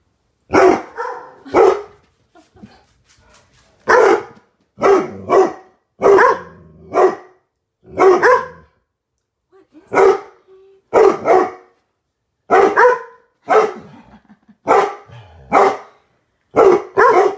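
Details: Several Weimaraners reacting to a 12 ft Halloween skeleton prop outside the window, giving loud, deep barks in pairs and short runs, repeated steadily for about seventeen seconds with brief silent gaps.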